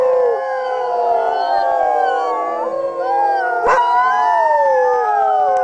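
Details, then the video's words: Sled dogs howling together in a chorus of many overlapping drawn-out tones, some sliding up and others falling, forming a dense continuous wail with one sharp click partway through. "The Sound of Howling Sled Dogs"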